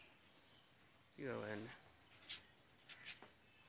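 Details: A short moo from a pair of 16-month-old Mundi heifer calves kept at a dairy farm in Pabna, Bangladesh. One brief, low, harmonic bellow about half a second long is followed by a few faint clicks and rustles.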